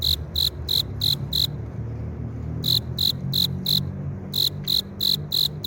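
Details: A male cricket calls to lure a female by rubbing its front wings, producing sharp high chirps in bursts of about five, each burst separated by a silent gap of around a second, with faint low rumble beneath.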